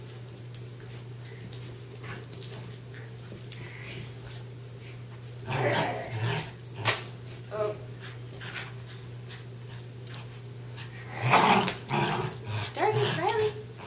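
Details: A pair of westies in a tug-of-war game: mostly quiet stretches broken by two bursts of scuffling growls, plus a steady low hum and brief human remarks.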